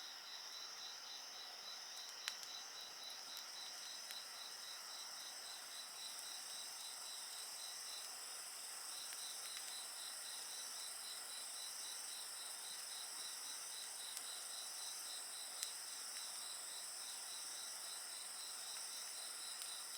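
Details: Insect song beside a bonfire, a dense shimmering high drone with a clear rapid beaded trill running through the first half, while the fire gives occasional crisp snaps.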